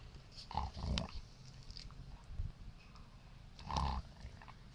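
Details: Siberian Husky in his kennel, snoring and snorting after getting mad about being brushed; two loud nasal snorts about three seconds apart over low rumbling breathing.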